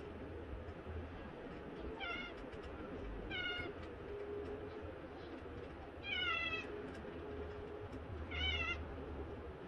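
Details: Two domestic cats playfighting, a Lunar Burmese cross and a three-month-old Himalayan cross seal point kitten: four short, harmonic meows with a bent, wavering pitch, spaced about two seconds apart over a soft, low household rumble.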